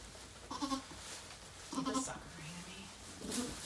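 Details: Short, nasal goat bleats as the rescued doe Maybel delivers four kids at Goats of Anarchy, three calls about 1.4 seconds apart over a noisy indoor background with quiet human voices.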